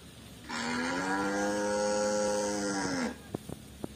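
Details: White village cattle roaming free in a garden, tame livestock kept loose on fields: one long, steady, deep moo lasting about two and a half seconds with a slight downward slide at the end, followed by a few faint clicks.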